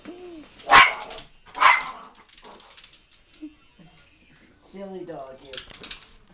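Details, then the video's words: Female pet dog guarding her owner inside a small room gives two sharp, loud barks about a second apart, then quieter grumbles while a woman talks to her in a gentle voice. "Funny Dog Protecting Owner"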